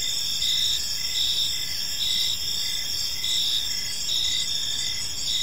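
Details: Chirping crickets in a peaceful park at evening: rapid pulsed chirps layered over a continuous high insect trill, with faint rumbling background noise.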